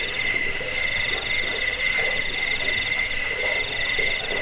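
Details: Several crickets trill together in a recording used against rats, for sleep and for songbird tutoring; piercing high pulsed chirps repeat roughly twice a second over a steady ringing buzz.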